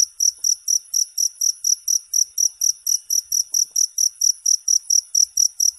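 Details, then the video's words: High, trilling cricket chirps pulse evenly about four times a second, each one a short, bright burst, over an otherwise silent background. "Suara Jangkrik"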